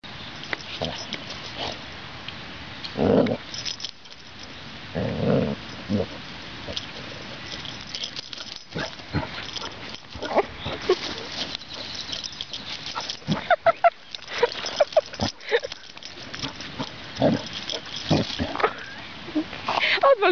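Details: Two Basset Hounds play, and a cheerful one-year-old female runs and barks to liven up her older cousin. Deep, gruff barks and growls are heard between scuffling noises.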